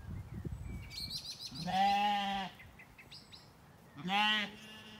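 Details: Weaned Zwartbles lambs wandering and grazing in an evening orchard on a County Kilkenny farm in Ireland; two strong, steady, harmonic bleats about two seconds apart, with faint chirping birds between them.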